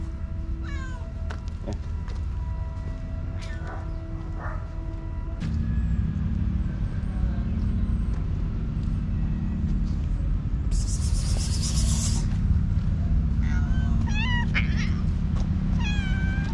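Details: Hungry stray village cats, angry at being fed a day late, meow at the person bringing food. Short rising meows come early, then several bunch together near the end over a constant low engine-like hum, with a brief rushing noise midway.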